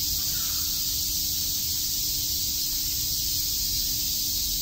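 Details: Summer cicada chorus at Shakujii Park in Tokyo, a steady, shrill, hiss-like drone that never pauses, with a low rumble of background noise underneath.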